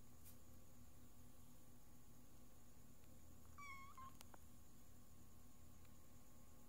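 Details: A little orange kitten, a rescued stray, gives a single short, high, slightly falling meow over a steady low hum.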